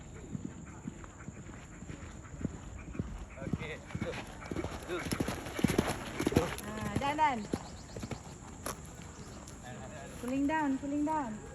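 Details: Horse on the move, hooves clip-clopping steadily while riders talk in Malay; around seven seconds and again near ten seconds a wavering, harmonic whinny rises and falls, with speech throughout.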